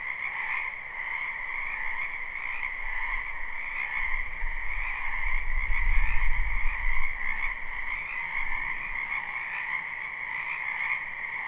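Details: Numerous frogs croaking together in a wetland during spring, live recording: an unbroken high trilling chorus, with a low rumble swelling in the middle then fading away.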